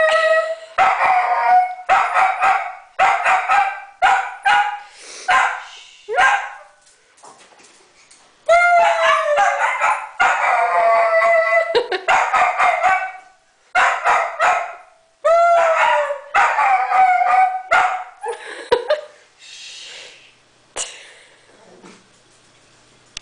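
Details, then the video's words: Merlin the Dachshund howling and barking in bursts, short wavering howls mixed with yips and barks, with several pauses of near silence between groups. "Daschund Howling Contest"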